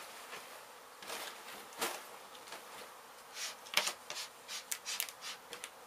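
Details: Disturbed honey bees from a hive struck by construction crews at an abandoned home under demolition in Mission, Texas, during a rescue and relocation; a dense, steady buzzing broken by sharp clicks and knocks from handling.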